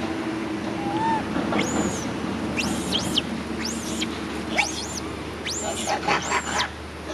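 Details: Injured baby monkey crying, one of several monkeys with severe injuries: high, shrill squeals arching up and falling back, given in quick bursts roughly every second, over a steady low hum and background murmur.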